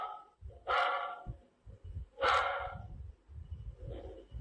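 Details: Dog barking: two loud, harsh barks about one and a half seconds apart, then a fainter, shorter third bark, over low rumbling background noise.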